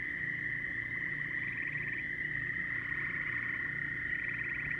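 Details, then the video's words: Dense frog chorus, a constant high-pitched trill joined by repeated pulsed rattles every second or two, layered over a low droning background. "A lot of frog calls"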